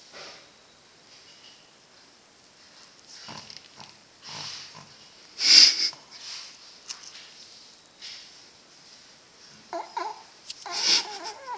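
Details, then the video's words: A female pet dog snoring unusually loudly, first time heard this loud; irregular breathy, wheezing snorts and sniffs, a few louder bursts around the middle and near the end, otherwise quiet between breaths. "Funny dog snoring.... :) mi perrita roncando"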